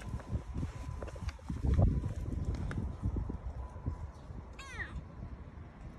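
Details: Young cat Jango, rescued blind, during his eye surgery: a single short meow with arched stacked harmonics near the end, set over heavy low rumbling machine-like noise.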